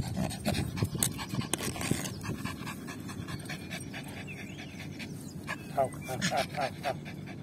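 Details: Yorkshire Terrier Lucy, tired after fetching a ball, pants in quick, breathy bursts, loud at first with a person's voice mixed in, then an even rhythm of puffs; soft chirps behind.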